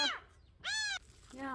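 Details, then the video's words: A stray nursing kitten, under a month old, found crying at the front gate and taken indoors. Three high, arched mews: a short one at the start, a long loud rising-and-falling cry in the middle, then a softer one at the end. "대문앞에서 울고 있었다는젖먹이 아기고양이"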